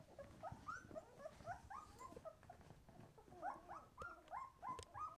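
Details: Twelve-day-old White Swiss Shepherd puppies, eyes newly opening, utter rapid, repeated short whimpers, each a quick upward-bending squeak, about three or four a second, with a faint background hiss.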